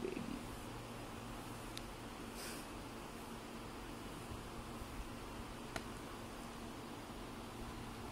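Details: Domestic cat named Prince of Persia purring while being disturbed as he sleeps, staying patient; a low, steady rumble runs throughout with a few faint clicks and rustles above it in a quiet room.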